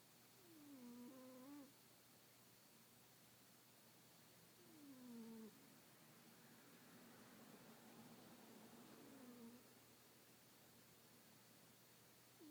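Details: A sleeping kitten snores softly indoors: faint, nasal, wheezy tones that slide downward, heard a few times about four seconds apart over a low steady background hum.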